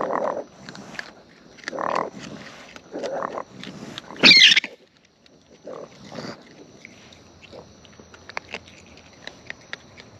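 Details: Close-up of wild raccoons feeding: choppy bursts of chewing and smacking recur every second or so, broken by one sharp high squeal midway, followed by quieter scattered clicks and nibbling.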